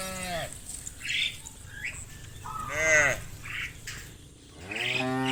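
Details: Cattle being guided through muddy rice fields to a livestock pen give short, arching moos, one clear in the middle and others at the start and end, mixed with chirping birdsong.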